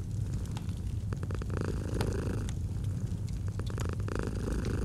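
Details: Low, grainy purring from a domestic cat, steady with slight rhythmic swells, mixed with frequent crackling clicks from a wood fire.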